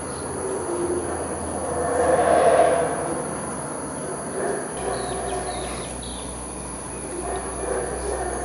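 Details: A Yucatán black howler monkey (Alouatta pigra) near Palenque, Mexico, recorded 24 November 2015, gives a deep, rasping roar that swells and then fades away.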